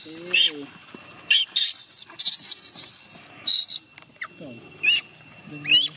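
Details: Young chimpanzee named Gina crying and refusing to let her carer go home: shrill, high screams in short bursts, some with rising whistled endings, alongside lower harmonic whimpers between quieter gaps.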